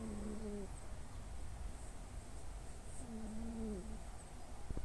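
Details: Bob, a nine-year-old male orange tabby Munchkin cat, sleeping on 8 June 2024 and snoring indoors; two drawn-out whistling nasal snores, each under a second, about three seconds apart, over a faint steady background hum.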